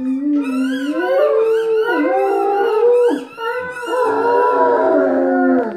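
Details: Two Great Danes named Nimitz and Rose howling together, long wavering tonal howls with rich harmonics, overlapping voices sliding up and down in pitch, nearly continuous for about six seconds with a brief dip near the middle.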